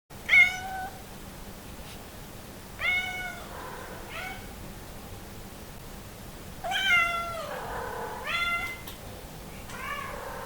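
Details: Hungry Somali cat meowing to be let into the living room; a series of about six clear, harmonic-rich meows, some drawn out and falling at the end, spaced by short pauses, with a faint steady hum behind.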